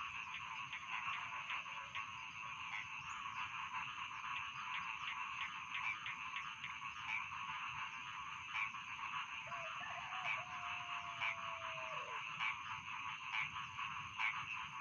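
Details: Rice field frogs in full chorus, with steady rattling croaks and regular louder clicking pulses about once a second, plus a long, level whistle that drops away after about ten seconds.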